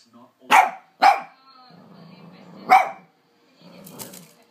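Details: Hoover-shy Lhasa Apso gives two rapid sharp barks, then another after a pause, while the low drone of the vacuum cleaner runs in the gaps.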